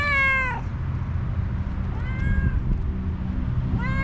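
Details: Hungry homeless tuxedo cat, one-eyed and angry, repeats short meows: a strong falling one at the start, a softer one midway, and another beginning at the end, over continuous low-pitched rumbling.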